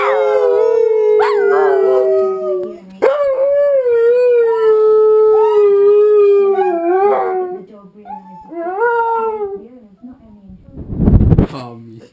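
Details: A pair of pet dogs sing along with wolves on TV, howling to strengthen their pack bond; a long, slightly falling howl, then shorter wavering ones, fading into a noisy burst near the end.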